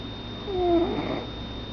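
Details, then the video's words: Sleeping pet cat giving one snore indoors, a short breathy exhalation with a thin whistling tone that dips and then rises, against a low steady room hum. "My Cat SNORING"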